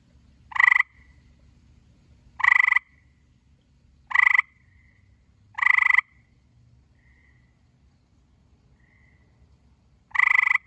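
A gray tree frog gives short, rattling musical trills, repeated every couple of seconds.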